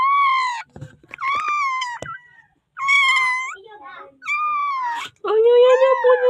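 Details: Newborn puppy in the Philippines calling for help before being saved: a run of high, wailing whines that start strong and slide downward in pitch, about five cries with short gaps, in a small indoor space.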